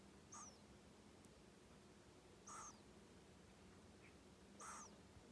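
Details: Kenta, a male pet hedgehog born 15 January 2020, snores while asleep: three faint whistly squeaks with a falling high tone, one every two seconds or so, over a steady low hum.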